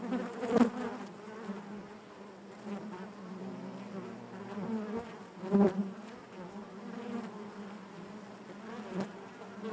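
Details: Steady hive drone from a colony of honey bees indoors in the hive, a continuous low buzz with rich harmonics and a few louder close passes around half a second and five and a half seconds.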